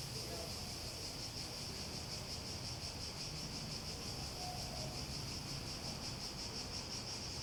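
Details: Cicadas in a continuous high, shrill buzzing drone with a faint wavering pulse, set against a noticeable low rumbling background and a few soft mid-pitched tones.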